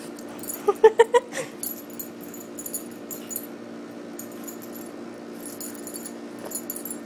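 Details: Pet Chihuahuas playing indoors. A quick run of four short, high, clipped yips comes near the start. Then there is mostly quiet room noise with faint scattered clicks.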